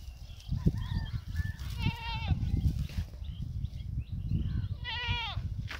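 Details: Goat eating grass, giving two quavering, wavering bleats, one near two seconds and another just after five seconds, each with a shaky, vibrato-like pitch, over steady low rumbling background noise.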